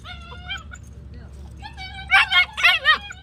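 A German Shepherd gives a few thin whines, then four sharp, high-pitched barks in quick succession.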